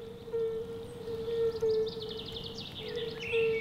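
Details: Male fire-bellied toads calling from a small forest lake in the Prioksko-Terrasny reserve, southern Moscow region, inflating their bodies as resonators: a steady, low, mellow tone in repeated notes with short gaps. High bird chirps and soft music sound above.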